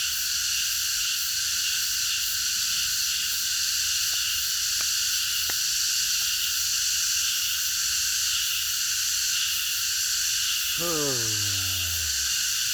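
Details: Many cicadas singing together in a park at night, a continuous high-pitched hissing drone; a few faint clicks occur midway and a falling, whining tone sweeps down near the end.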